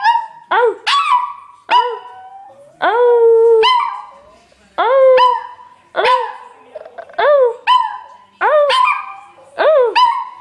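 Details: Domestic dog giving repeated brief howls, sharp rising-falling wails with rich overtones, roughly ten in ten seconds, one longer drawn-out note near the third second; no other sounds present.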